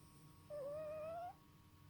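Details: A sleeping male cat snoring, heard as one thin whistled note that starts low, dips slightly and then rises steadily for under a second, with faint overtones above it and a quiet background hum.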